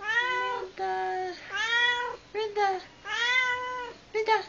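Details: Domestic cat calling its owner into the kitchen, producing a rapid run of about six insistent meows, some long and bending downward, others short and clipped, in quick succession over four seconds.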